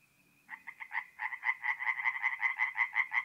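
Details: A tree frog starts calling at a night-time forest pond in north-east Italy in mid-April, after a brief faint tone: a quick series of about fifteen rasping, pulsed croaks, loudening and evenly spaced.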